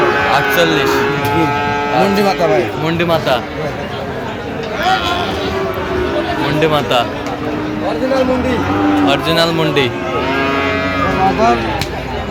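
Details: Sahiwal bull calf, cattle market in Chattogram, Bangladesh, 13 November 2025: repeated low moos of varying length overlap one another amid loud market chatter, several bovine voices calling in quick succession.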